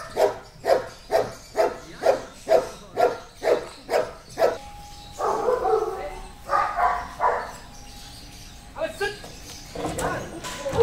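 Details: An 8-year-old Belgian Malinois named Amos at a K9 boarding and training school during a training session: a steady run of about ten sharp barks roughly every half second, followed by people talking and a few more barks.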